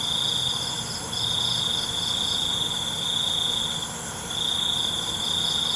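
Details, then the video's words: Night crickets in a calming nature recording trill in long unbroken stretches of about three seconds, piercing and even, separated by short gaps, over a faint pulsing buzz and a steady background hiss of insects. "ALUNAN CENGKERIK MALAM"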